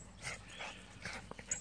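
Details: A male Schipperke playing with a toy in a back yard gives a few short, high yips and barks in quick succession.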